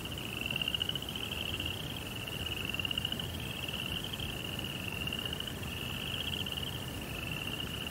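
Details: Night crickets in a Zen rock garden beside a koi pond, giving rapid buzzy trills in roughly one-second bursts that run back to back, with a soft low hum beneath.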